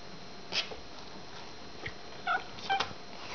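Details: Kittens in a pen, some playing while others nurse, with mothers calling nearby; a few brief, thin, high mews come in quick succession, mostly in the second half, over a faint steady room hiss.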